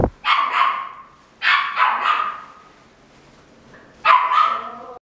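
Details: Female red Toy Poodle born February 2017, at a pet shop, barking sharply in quick pairs of high yaps, with a longer drawn-out yelp near the end.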